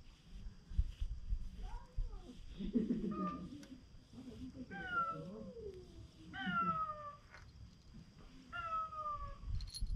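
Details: Stray cat on a Japanese cat island being stroked by a man; several short falling meows spaced about two seconds apart, with low rustling and handling noise throughout.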